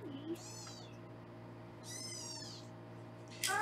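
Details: Foster kittens mewing indoors in Los Angeles while being weighed on a live kitten cam: two high, thin, harmonic-rich mews, each under a second, with a steady low electrical hum and a brief noisy burst at the end.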